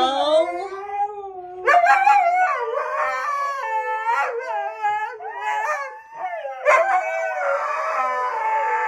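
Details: Husky howling: long, tonal, wavering cries that rise and fall in pitch, with several drawn-out notes overlapping across the stretch and a brief sharp yelp near the middle.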